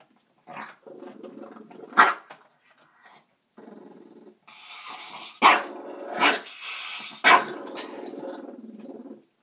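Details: Dog defending his food when someone reaches for it, rumbling low growls building into a few sudden loud barks, bursts separated by brief silences.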